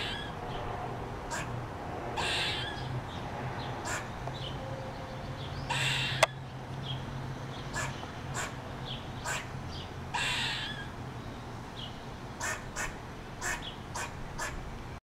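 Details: Squirrel just off a front porch in the morning, giving a distress call while still eating a peanut: harsh, raspy bursts, scattered irregularly about a dozen times, some doubled, over a steady low hum.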